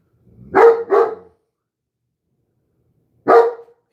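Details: A German Shepherd, hackles raised and tail straight up, gives a quick pair of deep barks, then one more after a pause, late on a Friday night while coyotes howl outside.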